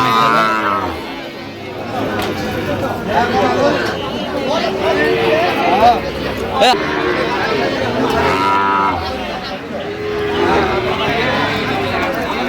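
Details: Sahiwal bull calves, four to five months old, at a cattle market in Sylhet, Bangladesh, on 8 October 2025; a deep, drawn-out moo opens the recording, with further lowing amid busy chatter and bargaining voices of the crowd.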